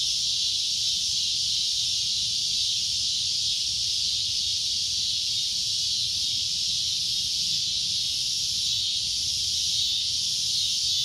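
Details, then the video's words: Cicada producing a loud, shrill droning noise, an even high-pitched buzz that never lets up across the recording. "CICADA A Loud Shrill Droning Noise"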